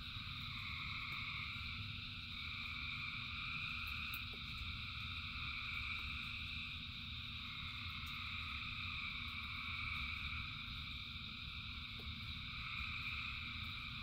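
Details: Frogs singing by the thousands during rain: a thick, steady wall of overlapping trilled calls at multiple pitches, with a deep rain rumble and a few faint clicks.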